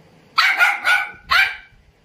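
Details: An Indian Spitz, urged by its owner to "speak", gives a quick run of sharp, high-pitched barks.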